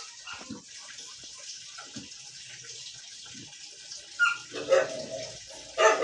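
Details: Siberian Husky arguing: low, quiet grumbles at first, then a few louder yowling, harmonic vocal bursts near the end over a steady background hiss like running water.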